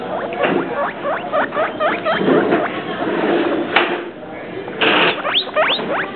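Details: Guinea pigs Travis and Shane giving quick chirping squeaks, each note sweeping sharply up or down, in bursts broken by short pauses and a brief rustle near the middle.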